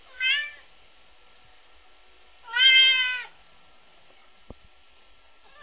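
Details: Binx, a three-year-old red point Siamese cat kept indoors, bored: two loud harmonic meows, a brief one at the start and a longer drawn-out rising-falling wail near three seconds, then a sharp tap and the start of another.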